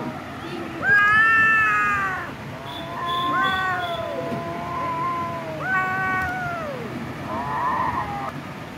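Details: A cat delivers insistent, whining meows. One loud, sustained wail is followed by shorter, falling calls and a final, softer quavering meow.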